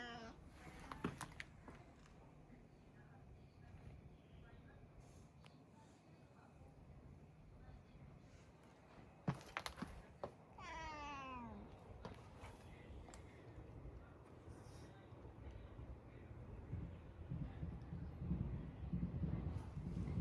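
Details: Domestic cat whose meow is considered very uncool, giving a single short, strained meow that slides downward in pitch for about a second midway through, in a quiet indoor setting with a few faint clicks and soft background rustle.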